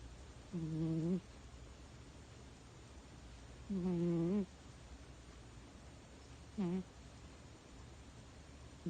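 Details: Sleeping cat snoring in three low, droning, voiced breaths, the first two longer and the last short, each a few seconds apart against faint steady hiss.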